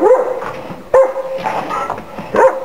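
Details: Big dogs met while visiting friends: three drawn-out whining yelps, each starting with a rising yelp and then holding a steady tone, spaced about a second apart.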